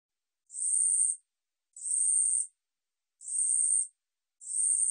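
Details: Ussuri katydid (우리여치), National Institute of Biological Resources, 2020: repeated sizzling high-pitched buzzes lasting around 0.7 seconds each, four in a row, separated by clean silent pauses.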